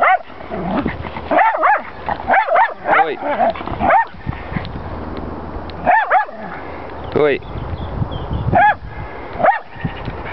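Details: Jack Russell Terrier reacting to horses: bursts of high, sharp yapping barks in short clusters, some doubled, scattered across the recording, with a person's speech between them and wind in the background.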